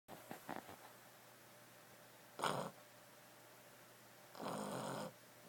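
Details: Sleeping Boston Terrier dog snoring indoors: two broad, raspy snores about two seconds apart, the second longer and steadier, with a few faint soft clicks near the start.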